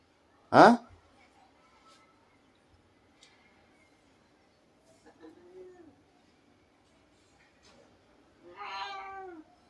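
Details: Domestic cat named Babdya: a sharp knock at the start, then a faint short mew near the middle and a clearer drawn-out harmonic meow that falls in pitch near the end, in a quiet room.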